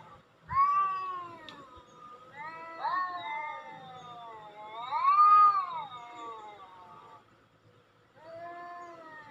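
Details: Domestic cat meows played to attract cats: long drawn-out wavering meows, several rising then falling, with a louder arched cry in the middle and short pauses between calls; faint low background rumble.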